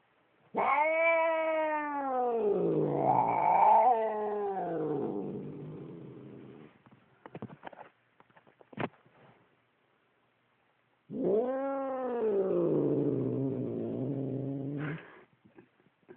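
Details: Angry domestic cat growls at its owner: two drawn-out, arching yowls lasting about six and four seconds, the first breaking into a rough rumble, with a few clicks and handling noises between them.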